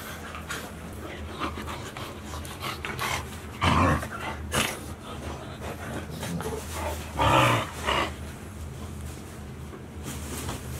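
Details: Four Golden Retriever puppies, 110 days old, filmed at Ain village on 13 August 2018. Low, rough growling and whimpering run under a steady hum, broken by two short, louder broadband bursts near the fourth and seventh seconds.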